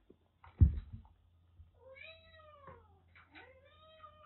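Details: Indoors, a rescued kitten with cat flu, found drenched during record rain in western Japan, lets out two long, clear, slightly falling meows after a sharp thump, with a low hum behind.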